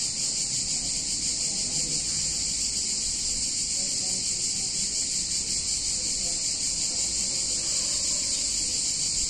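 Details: Hot summer day in an Italian town, cicadas producing a constant piercing buzz that never varies in loudness, with only faint low-pitched sounds, possibly distant voices, beneath.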